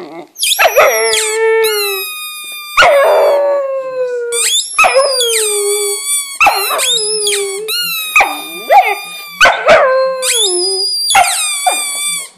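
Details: English Setter howling for the first time, a series of about eight loud, clear howls, each starting high and sliding down, some drawn out for a second or more, with brief gaps between them.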